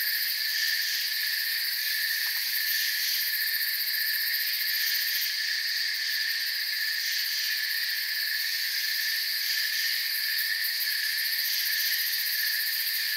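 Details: A forest cricket chorus, a thick, even drone of high chirps from many insects, with a brief faint tick near the start and otherwise uninterrupted shrill sound throughout.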